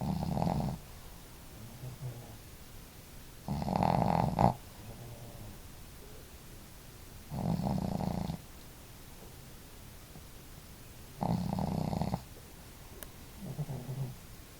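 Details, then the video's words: Snoring duet of two house dogs, the female Marimo snoring boldly and Daigoro more quietly: loud rough snores roughly every three and a half seconds, separated by soft, low, brief snuffles in a quiet room. "可愛いイビキ snore"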